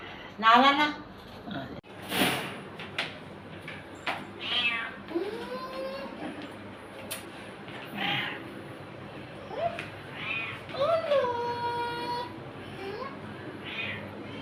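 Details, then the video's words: A frightened house cat, said to be fearful when people are around, makes repeated plaintive meows through the stretch. Some calls are drawn-out and bending, others brief. People chatter in Tagalog and coax the cat throughout. "Cat looks afraid funny cat videos 2025 meow"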